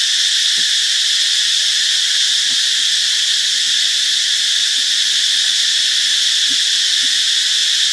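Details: Cicada chorus recorded in Ubon Ratchathani, Thailand, on a Friday, March 26: a steady, hissing high-pitched drone without pause, with scattered faint low ticks and thumps beneath.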